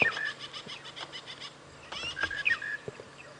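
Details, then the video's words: Squirrel alarm calling, shouting at something on the ground just below it, heard on a sunrise safari drive on 5 April 2017: a rapid run of dry clicking pulses, about six a second, then scattered clicks, with clear whistled bird notes between. "right now just up ahead we've got a squirrel that is alarm calling so let us leave this Horn Bill site"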